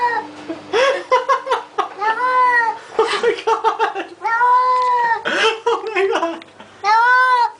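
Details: Domestic cat crying during a flea bath indoors, long wailing meows with clear harmonics rising and falling, several separated cries over seven seconds, people exclaiming "oh my God" between them.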